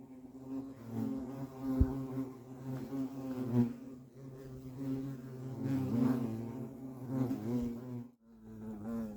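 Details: Low droning buzz of European hornets around their nest, pulsing louder and softer with wavering harmonics, a brief pause near the end before the hum resumes.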